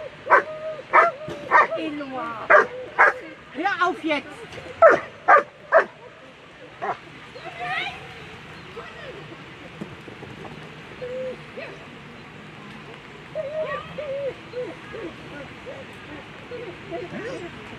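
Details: German Shepherd at a world championship agility competition gives a rapid string of about a dozen loud barks over the first seven seconds, then falls quiet while crowd chatter and speech carry on with a few faint sounds.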